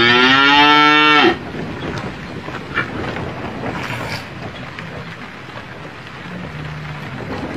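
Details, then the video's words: Cow in an Indian village while a small boy drinks milk from it. A loud, tonal moo with a steady pitch lasts just over a second, followed by background noise and faint rustling. "Cow Breastfeeding little Boy"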